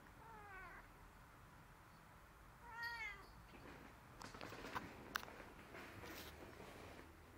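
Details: A cat's two short, rising-then-falling meows a couple of seconds apart, followed by rustling and handling noises.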